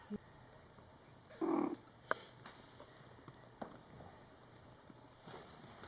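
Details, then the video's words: ['Mother cat talking to her young Scottish Fold kittens, born July 22, 2012, during their first month: one clear, loud, mid-pitched meow lasting about a third of a second, with a few soft clicks and faint squeaks around it.'] "Mom Cat Talking to her Cute Meowing Kittens"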